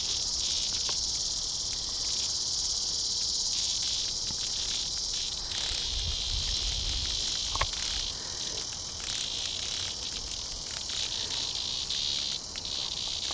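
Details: Tibicen dealbatus cicada being eaten alive by a praying mantis at Sand Hills State Park near Hutchinson, Kansas, on August 3, 2010, during a 106-degree heat wave; a steady high hissing buzz with stuttering, pulsed bursts toward the end.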